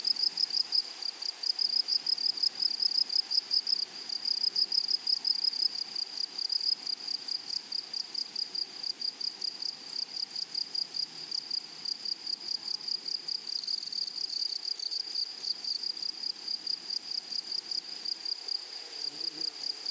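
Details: Meadow grasshoppers in flowery prairie grass keep up a shrill, dense trill of fast ticking pulses, unbroken from start to finish, a brief louder flurry near the middle; quiet faint murmur underneath.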